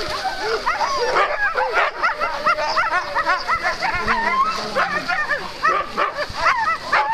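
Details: Alaskan malamute teams starting on day two of Metsäkartano Sprint, 4 March 2012; a crowd of dogs produces continuous yelping, whining and barking, quick bent cries stacked over each other, with some people talking.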